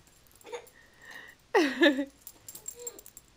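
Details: Female Yorkshire Terrier playing like a cat while attacking a laser toy indoors; one high whine of about half a second slides steeply downward, with faint short squeaks before and after and a woman's voice nearby.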